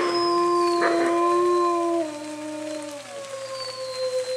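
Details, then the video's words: Bays Mountain Park wolf pack chorus howl in rain: a few long howls hold level, then one drops away and the chorus thins, leaving softer sliding howls. "Wolf Pack Chorus Howl"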